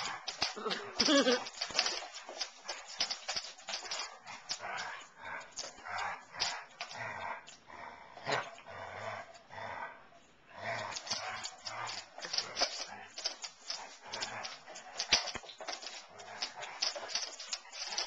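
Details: Rough play between two Basset Hounds, Darwin and Elvis: sustained harsh growls and grunts with scuffling clicks, easing briefly around the middle before rising again. Some human voice is heard too.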